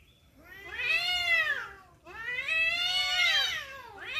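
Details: Two sustained, loud, high yowls from cats fighting over a female, each swelling and bending downward over about two seconds, the second starting right after the first ends.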